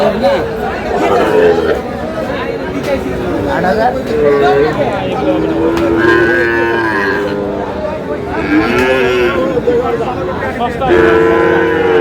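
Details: Sahiwal bull calves at a livestock market where a farmer from Dhaka is buying, 19 May: several drawn-out mid-pitched moos, some wavering or falling, recur through the clip over constant crowd chatter and bargaining voices.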